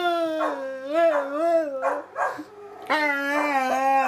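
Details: Samson, a pet dog, talking with Josie: a sustained, wavering howl with gentle undulating pitch, a brief dip, then a strong renewed steady moan.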